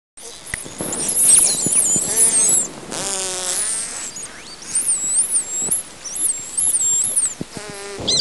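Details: Dolphin. Dolphins give thin, high whistles that rise, fall and loop in quick succession. Between them come buzzy pulsed bursts and scattered sharp clicks, with one harsh, rasping squawk in the middle.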